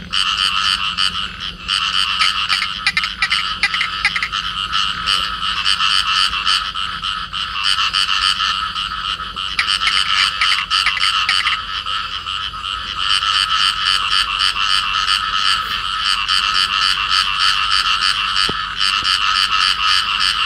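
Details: Clasped pair of field frogs giving harsh pulsed croaks, a rapid train of about three or four notes per second, persistent and loud, with a brief quieter gap early on.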